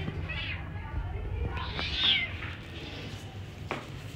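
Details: Kitten meowing for its mother: a few short, high, slightly rising mews, then a brief fainter cry near the end, over a steady low indoor hum.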